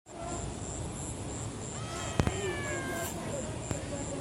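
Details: A kitten, the shrillest of its litter, gives one brief, shrill meow over a steady hiss, with a faint repeated electronic beep.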